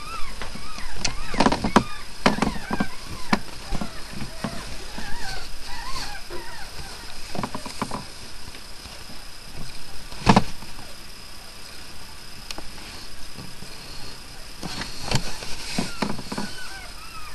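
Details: Newborn puppies, a litter of five (three males, two females) born overnight to a dog named Miley, give repeated high, arching squeaky whimpers, several overlapping, with scattered clicks and handling thumps and a louder knock near the middle.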